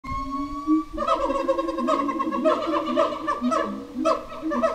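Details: Howler monkeys at Twycross Zoo at feeding time, howling, screaming and moaning while staking out and defending their territory; loud overlapping wavering tonal howls in rising and falling bursts, one drawn-out rising call opening before a dense chorus joins.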